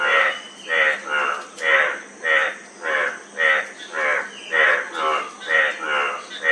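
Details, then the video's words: Frog repeating a coarse, reedy croak about thirteen times in under seven seconds. The rhythm is fairly regular, close to two calls a second, against a faint continuous hiss. "Frog Sound--Frog Sound Effect"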